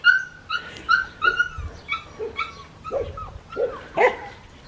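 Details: Black tri male Australian Shepherd puppy, six and a half weeks old, from a breeder in Oklahoma, making about eight short, high whining yelps in under five seconds, each sliding downward in pitch, over a low background hum.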